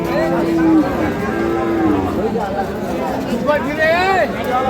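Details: Dairy cows of Sahiwal, Sindhi and local breeds with calves at the Ambari livestock market, Parbatipur, Dinajpur, Bangladesh, 6 October 2025: long steady lowing moos, then a higher wavering bellow, amid traders bargaining over prices.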